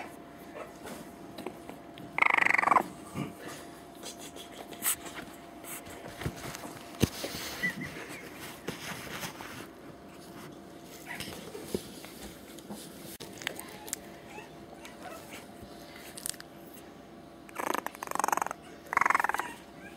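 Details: A three-week-old male French Bulldog puppy gives a few short, high whining yelps separated by long quiet stretches.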